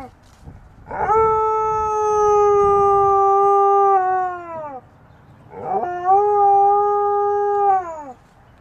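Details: Alaskan Malamute from a funny pet compilation giving two long, steady, clear howls, each held level for several seconds before falling away at the end, with a faint murmur beneath.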